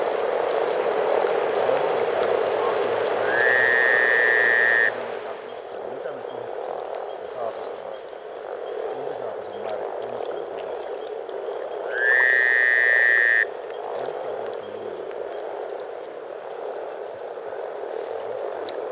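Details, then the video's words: Over 300 frogs in spring at Teisko, Pirkanmaa, Finland: a dense, continuous low murmuring chorus, broken twice by a steady high whistled tone lasting one to two seconds. "Frogs from Finland"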